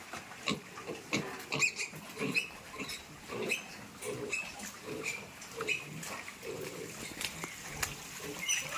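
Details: Piglets transferred to fattening pens give steady short, nasal grunts, repeated about every half second to second, with occasional squeaky higher notes amid pen noise.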